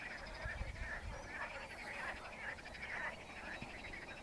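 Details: Frogs singing in a lake: a dense chorus of rapid, rattling pulsed croaks from many callers overlapping throughout, with low rumbling noise underneath.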